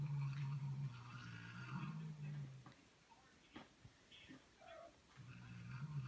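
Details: When a newly arrived cat meets the older resident cat, one gives a deep, steady, droning growl for nearly three seconds. It falls quiet briefly with a few soft clicks, then the growl resumes at the end.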